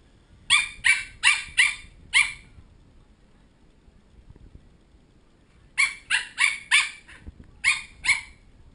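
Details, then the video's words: Pembroke Welsh Corgi puppies from a litter of ten bark in protest at bedtime, recorded on a GoPro HD HERO2; shrill, rapid yaps come in a run of five, a pause, then four more and a final pair. "I don't want to go to bed. bowwow コーギー"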